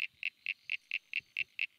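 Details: Common Eastern Froglet (Crinia signifera) in Australia, which breeds most of the year, gives a rapid series of short, high, cricket-like chirps, about four or five a second.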